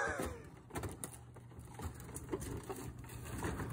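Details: Low rumbling hum with scraping, knocking and faint thuds throughout, with no animal voice audible.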